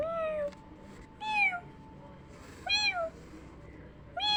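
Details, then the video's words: Kittens hearing a sound like their own meow: three loud, clear meows spaced about a second and a half apart, each rising then falling, with a faint steady tone behind. "when this kittens heard the sound like them ~meow~"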